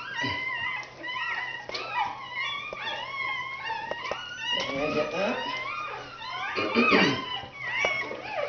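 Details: Red Standard Poodle puppies being born in 2010, indoors: a run of short, high, wavering squeaks and mewling cries, many arching up and down in pitch, over a quiet steady hum and intermittent soothing human speech.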